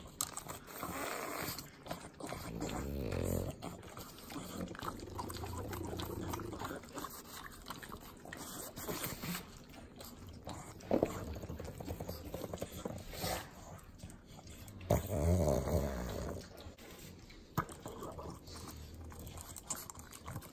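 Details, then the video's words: Sloppy licking and snorting from three pug dogs at a butter treat, Inland Empire, Southern California. Rapid wet smacks run about four per second, with heavier snorty bursts around eleven and fifteen seconds. "Pugs Eating Butter - Calming Sounds of Sloppy Licking, Snorting"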